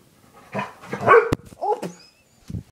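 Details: Indoor dog barking at a toy: a few short, rough barks in quick succession, then a higher whining yelp and one last low bark, with a sharp click between them.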